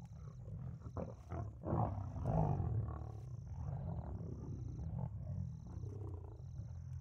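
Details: Two lions at night killing a helpless impala stuck in mud: deep rumbling growls and snarls swell and fade over several seconds, with a steady series of faint high electronic beeps throughout.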